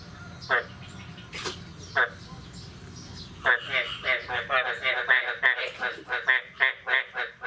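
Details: Frogs calling on the morning of 9 May 2022 after the year's first rain: a few scattered nasal, pulsed croaks with sharp clicks, then from midway a steady run of rasping croaks, roughly three per second.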